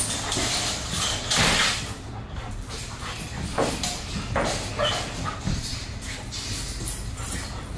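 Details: Reactive young female German Shepherd named Bailey, out of control on the first day of two-week boarding training, gives a run of harsh, irregular barks spread across several seconds against constant low background rumble.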